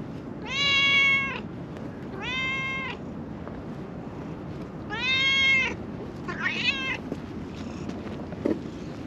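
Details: Friendly calico stray living on a mountaintop in Japan, trailing a person, meows repeatedly: three long, clear, tonal meows spaced about two seconds apart, then a shorter, rougher one, with faint outdoor background noise.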